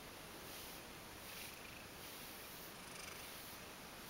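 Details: Indoor Ragdoll cat contentedly purring during a brushing session it loves, belly turned up; low, even, breathy purr with faint regular pulsing and no other clear sounds.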